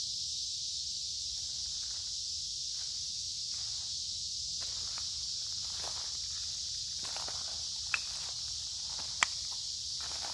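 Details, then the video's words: Along a woodland creek in midsummer heat and humidity, cicadas keep up a constant high hiss while footsteps crunch on the path and two sharp snaps stand out near the end. "Walking along a Creek with lots of Noisy Cicada Insects Singing in Summer"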